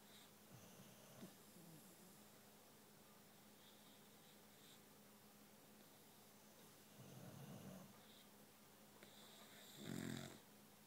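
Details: Sleeping Boxer dogs indoors, one newly adopted a week earlier and another dozing on a separate couch. A quiet room with low breathing, then two muffled, rumbling snores near the end.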